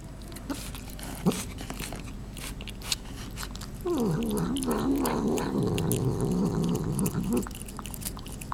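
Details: Domestic cat making funny noises while eating indoors: soft chewing clicks, then a low wavering, murmuring growl-like vocalisation lasting about three and a half seconds, rising and falling in pitch over steady chewing.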